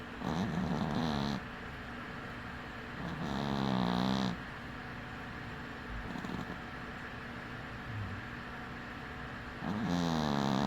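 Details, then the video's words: Snoring cat dozing with one eye open; three harsh, buzzing snores with a low wobbling drone arrive at uneven intervals, with softer breathing between them. "Snoring cat"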